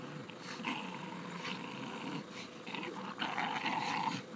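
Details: Pair of Staffordshire Bull Terriers at play, producing continuous low grumbling growls with rapid, uneven pulses and snarly bursts that grow louder near the end, indoors.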